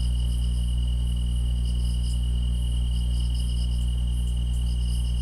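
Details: Chorus of grass insects, with one continuous high-pitched trill held level the whole time, interrupted clusters of quick, bright chirps higher up, and a thin, very high shimmer, all layered over a heavy, even low hum.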